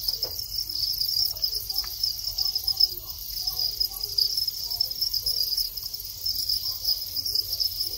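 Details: Thai crickets in a breeding colony, males calling as they enter the mating period after molting into long-winged adults; a dense, steady, high-pitched chirping chorus runs unbroken throughout, over a faint low hum and some soft scattered clicks.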